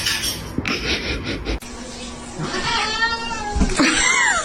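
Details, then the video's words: Cats fighting: a drawn, wavering cat cry with stacked harmonics swells midway, then a sharp descending meow closes the moment, over a steady background hum and thumps of movement. "funny cats fighting"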